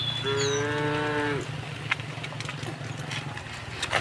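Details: A single moo lasting just over a second from tame cows being driven home to the pen through a village in the afternoon, followed by rustling and footsteps.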